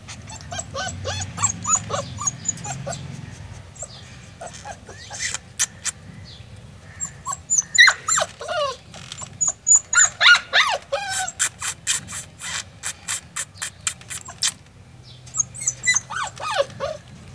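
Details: Golden Retriever from Nepal, whining in bursts of quick, high-pitched yelps that fall in pitch, interrupted by sharp clicks and a low rumble at the start, with pauses between volleys.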